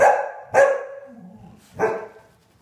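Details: Dogs in a household trio with Sky the husky and springer spaniels Marshall and Sadie: two sharp barks at the start and one near two seconds, each fading into a short tail, with a low murmur between.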